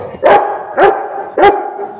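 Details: An angry Rottweiler barks at street dogs, giving three deep, forceful barks about half a second apart.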